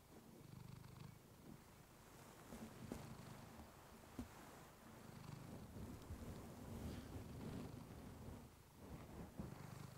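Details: Clementine, a house cat, purrs contentedly beside a fluffy microphone for relaxation; deep, even purring in breath-length phrases at roughly three and a half pulses per second, with occasional faint clicks from fur or movement.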